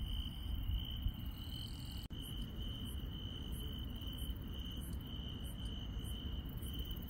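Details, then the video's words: Nighttime countryside insects: one continuous high-pitched trill holds steady while a second, much higher caller adds short repeated chirps about twice a second after a brief click, over a soft low hum. "시골 밤의 정겨운 풀벌레 소리"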